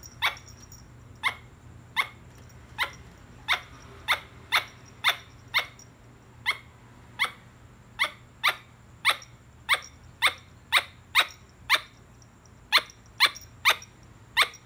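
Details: Squirrel giving a long run of sharp, short barking chirps, each a crisp broadband note, about 25 in fifteen seconds, spaced roughly half a second apart with a few brief pauses, over a faint steady low hum indoors.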